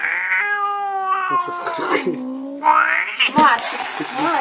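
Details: Angry house cat letting out a drawn, harmonic, wailing yowl that slides slowly downward for over two seconds, then breaks into shorter cries over a person's voice and rustling.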